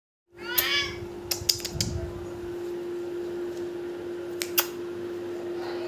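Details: Persian cat giving one short meow with arching harmonics right at the start, then scattered sharp clicks and taps over a steady electrical hum.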